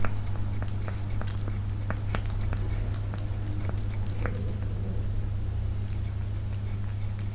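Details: A Persian cat (Felis catus) eating, recorded up close: sharp crunching clicks over a steady low hum.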